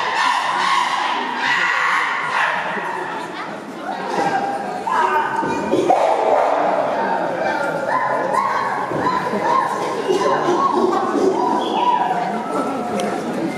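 A group of chimpanzees calling loudly together, with overlapping hoots and screams.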